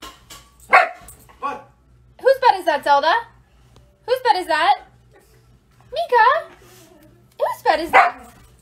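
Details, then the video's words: Two Siberian Huskies fighting over one bed: repeated wavering, warbling howl-grumbles in bursts about every one and a half seconds, with sharp barks between, over faint background music. "Two Cute Husky Fighting for Same Bed"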